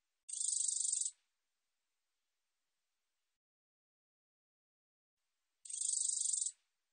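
A katydid gives a high, dry, buzzy burst about a second long, then repeats it after a pause.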